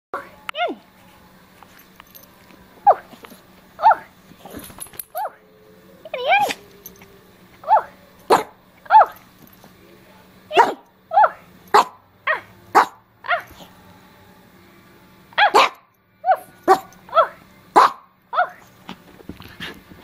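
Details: Small dog giving a long series of short, sharp yappy barks, often in pairs, spaced roughly every half second to a second, with a low steady hum behind.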